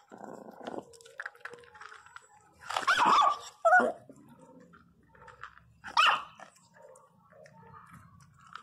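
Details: A Miniature Pinscher puppy, angry when a woman tries to pick up another puppy, lets out sharp, shrill yaps and snarls in bursts while she talks.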